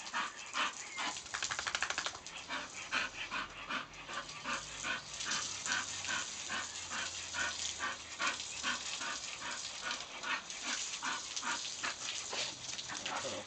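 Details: English bull terrier chasing a water hose in play, giving a long run of quick, repeated yips and panting-like bursts under loud, continuous hiss of spraying water.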